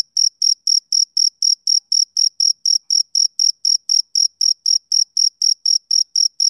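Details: Summer-evening chirping of a male cricket, with bright, even pulses of high-pitched trill coming roughly four per second in an unbroken rhythm over silence.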